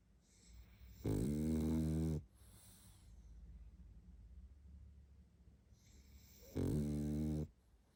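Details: Barney the pug, worn out and sleeping, gives two loud rasping snores about five seconds apart, each a deep vibrating rumble lasting around a second, with softer breathing between them in a quiet room.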